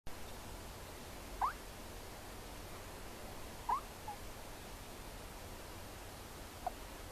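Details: A sleeping male hedgehog makes three brief, rising, thin squeaks spaced a few seconds apart over a quiet, steady background hiss.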